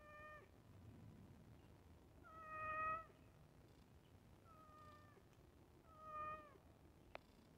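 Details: Pet cat meowing while waiting for food at iftar: four drawn-out, fairly level meows about two seconds apart, each ending with a slight downward slide, over a low background hum, with a sharp click near the end.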